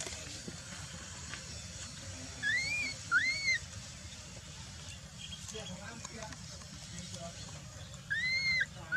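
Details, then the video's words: Baby macaque Dalton lying on the ground and crying while his mother Dolly ignores him: arched whistled cries rising then falling, two close together, then another after a pause, over steady background chatter of voices. "the baby monkey lies on the ground and cries"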